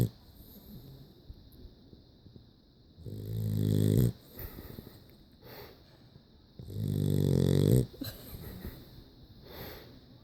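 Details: A sleeping dog snores: two long, rumbling low snores about a second each, separated by several seconds of quiet breathing.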